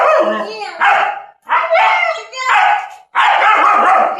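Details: German Shepherd held in chains for the first time, barking loudly and continuously in four long, strained, harmonic bursts with only brief breaths between them.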